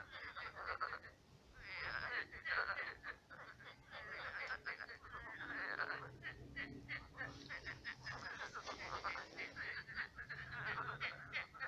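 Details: Many frogs croaking at night in a shallow pond that has turned into a swamp; dense overlapping chorus of rapid, rattling, pulsed croaks, rising and falling in waves with no pause.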